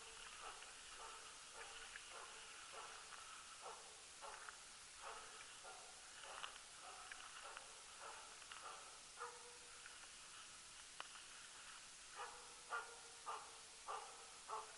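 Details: Jämthund named Rapp baying during free-running elk hunting in 2012, its tenth elk; distant barks repeated roughly every half second to second, irregular pace, over steady background hiss.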